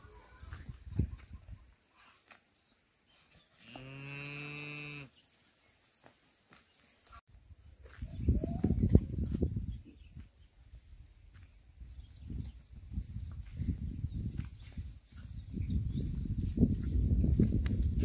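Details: Khillar cattle from a cow-and-calf pair offered for sale: one steady, drawn-out moo of over a second amid quiet, then stretches of low rumbling and rustling noise.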